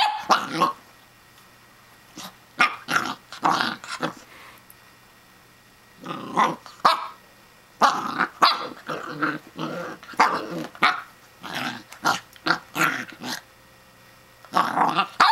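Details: Pembroke Welsh Corgi puppy named Riley barking at Phillip, a plastic toy hedgehog: short sharp yaps and growly barks in bursts with pauses, indoors, a woman's voice talking between the bursts.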